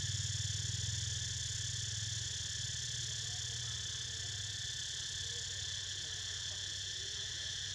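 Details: Constant high cicada drone accompanies Niko's nap, steady and layered, over a low, throbbing hum that fades after the first few seconds.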